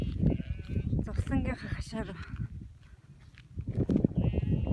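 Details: Bleating from a herd of cashmere goats and sheep gathered at a fence in North Eastern Mongolia: short trembling, vibrato cries that overlap, then a pause and a fainter bleat. Human voices and wind accompany them.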